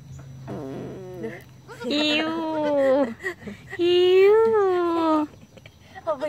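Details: Goat kids Jalu and Jali, born 1 January 2019 around dusk, learning to walk; three bleats, a short one followed by two long wavering ones of about a second and a half each, over a low steady hum.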